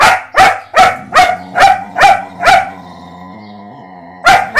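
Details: German Shepherd puppy playing with and testing the patience of a mixed-breed dog: a quick burst of seven sharp, ringing barks about every half second, a pause with a faint low whine, then two more barks.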